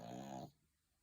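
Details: Sleeping dog, resting comfortably, gives one brief buzzy, rasping snore of about half a second that stops abruptly into near silence.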